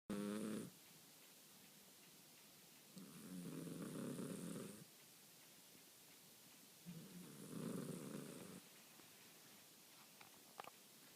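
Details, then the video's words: Sleeping Persian cat snoring softly indoors: low, rasping breaths rise and fade about every four seconds, with quiet room hiss between them. "Sleeping Snoring Persian Cat"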